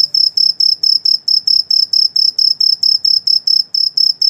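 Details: At night, an insect gives a steady series of high, shrill chirps, about four or five each second.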